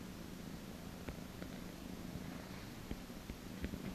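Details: A massaged cat gives a continuous low purr, accompanied by frequent small clicks and rustles from touching and handling.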